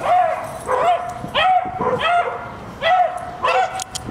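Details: Excited yelping barks come from a female dog after she trees a squirrel, each bark sharp and high with a brief upward lilt, repeated roughly every half second in an uneven rhythm.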